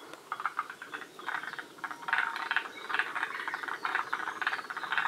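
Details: Group of forest green tree frogs at Shiriya, Aomori, Japan, at the northern edge of their range: a quieter start building into loud, rapid rattling croaks repeated in short bursts over a constant background chorus.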